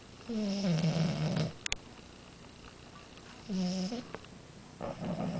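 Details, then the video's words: A sleeping French Bulldog snoring indoors: three rough, buzzy snores, each lasting about half a second to a second, separated by quiet pauses of one to two seconds. "Bulldog Francês Amora roncando!"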